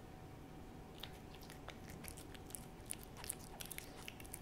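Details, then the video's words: Hodu, a hearty-eating cat, eats a Ciao Churu treat indoors: quiet, wet licking and smacking clicks in irregular bursts, with sharper ticks near the middle and a faint steady hum underneath. "호두의 츄르 ASMR"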